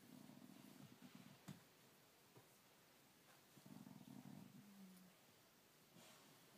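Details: Low rumbling growl from a dog, a short burst followed by a second, longer growl that trails off into a steadier, smoother tone, then quiet.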